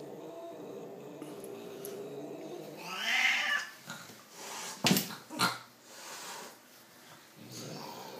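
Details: Domestic cat indoors letting out a brief rising yowl, followed by thumps and knocking noises in a small room.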